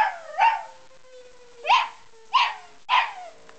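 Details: Pet dog reacting to a tornado siren with four sharp, yelping barks spaced irregularly about half a second to a second apart. A steady low siren tone continues underneath.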